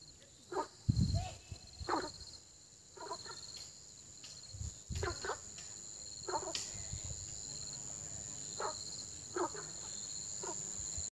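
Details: Frogs croaking in early spring: short, hoarse, low-pitched croaks at irregular intervals, roughly ten in eleven seconds, with a thump near the start and a steady thin high-pitched hum running throughout.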